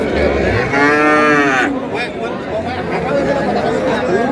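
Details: Sahiwal cow with calf for sale at Ambari market in Dinajpur, 1 May 2026: a single loud, harmonic moo swelling and falling over about a second, followed by crowd chatter and talking at the busy market.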